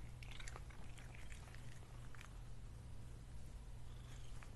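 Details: Lily the pet cat at lunch, chewing food indoors: quick irregular crunching and smacking clicks, busiest early on and thinning later, over a constant low hum.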